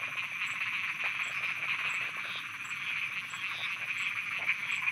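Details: Thai frogs calling at night, a softer steady chorus of buzzy, overlapping croaks with occasional clicking pulses and a faint repeated high tick.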